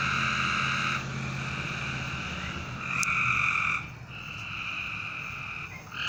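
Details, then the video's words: Continuous frog trilling at night, long unbroken buzzy notes that shift slightly in pitch as callers overlap, with one sharp click midway. "A Strange Night Sound? And Frogs!"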